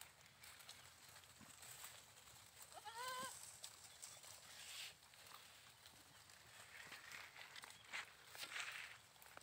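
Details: Goat giving one short, wavering, nasal bleat about three seconds in, then falling quiet; steady rustling and outdoor background noise continue throughout, with a few faint high chirps near the end.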